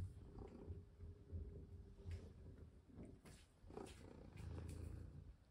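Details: Domestic cat purring during play while a necklace is put on; a soft, low, rumbling purr pulses steadily under faint handling noises and rustles.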